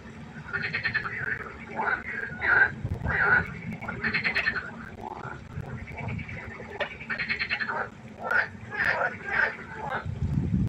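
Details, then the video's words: A nighttime pond chorus of frogs: many quick, nasal, pulsed croaks crowding together in uneven clusters, loud bursts rising and falling, over a constant low droning hum. "Froschkonzert. Frosch Geräusche quaken. Frösche Geräusche Konzert"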